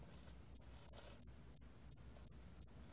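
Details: Hairy cricket, 2020, National Institute of Biological Resources: eight crisp, shrill chirps spaced about a third of a second apart, with a faint low hum beneath.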